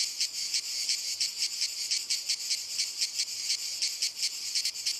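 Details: Singing cicadas in walnut trees, an intense high-pitched rasping drone throbbing roughly twice a second in uneven beats, with no other animals or people audible.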